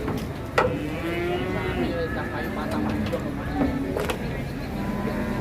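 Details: Cattle at the Ngawi cattle market in Indonesia, where three large trucks are buying up cattle to haul west: drawn-out, low, harmonic moos over a steady rumble of engines and market noise, with brief clatters.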